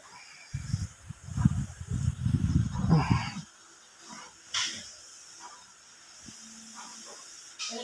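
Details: A Shih Tzu gives a low, rough, rumbling growl lasting about three seconds.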